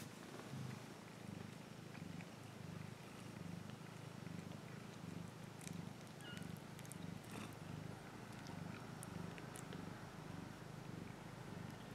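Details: A cat purring continuously, a deep buzzing rumble in even waves, with scattered faint clicks and a short high chirp in the background.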